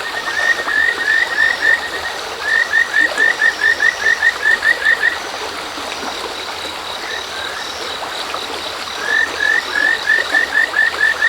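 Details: Kajika frogs calling beside a river stream as dusk turns to darkness: bouts of quick, rising, chirping notes, about eight to twelve in a row, broken by short pauses, over the steady rush of running water.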